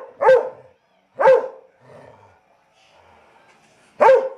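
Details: Labrador and Weimaraner cross, a 19-week-old puppy up for adoption in Chattanooga, Tennessee, gives three loud, spaced barks about a second apart, with a faint soft whine between them.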